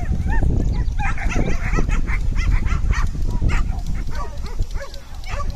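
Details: Koga, a corgi, running a Coursing Ability Test at the Klimb Classic in Maquoketa, Iowa, in 2022 while chasing lure "bunnies". Rapid, repeated yipping barks sound throughout over heavy rumbling wind noise.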